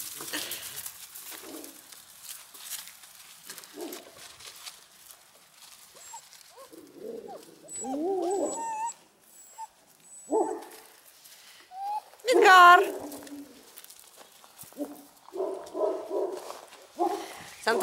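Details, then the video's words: Central Asian Shepherd Dog puppies fighting for food, with low growls and short yelps in bursts and a high rising whine midway, interrupted by scattered rustling and handling noise. "Central asian shepherd puppies fighting for food"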